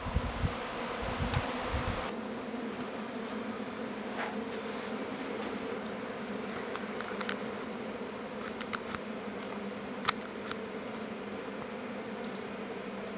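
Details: A Tasmanian honey bee swarm, an annual event that came a week early this year, circling near a beekeeper's boxes. It gives an even, low buzzing drone throughout, opening with a few louder bumps and scattered faint clicks.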